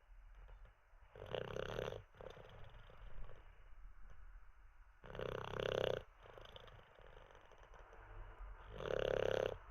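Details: Olde English Bulldogge named Teddy, dozing after treats and a wee: loud, rasping snores about every four seconds, each a broad rough burst, with softer breathy rumbling between them.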